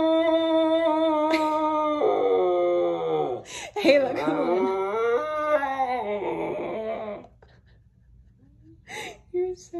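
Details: Siberian Husky named Halo, indoors, talking back while arguing with its owner about being on the bed: about seven seconds of drawn-out, wavering, howl-like woo-woo sounds bending up and down in pitch, then quiet with short bursts and a woman coaxing.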